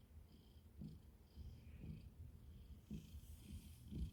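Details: Domestic cat purring: a low, rumbling, continuous hum with soft pulses roughly once a second, quiet throughout, with faint higher tonal traces in the background.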